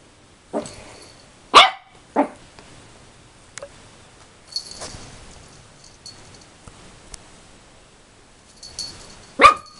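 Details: Rolo, a 13-week-old puppy, barks at his own reflection in a mirror indoors: three sharp high yaps spread over ten seconds, with quiet rustling and small knocks between them.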